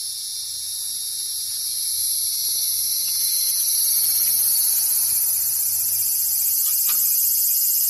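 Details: A cicada sings very close by with a lively, steady, high-pitched buzzing drone that continues without pause, while a cat tries to get near it.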